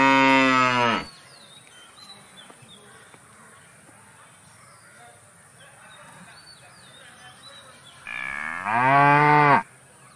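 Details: Cow mooing: a loud, deep, drawn-out moo lasting about a second opens the clip, then after a long quiet stretch with faint bird chirps a second strong moo of similar length comes in near the end.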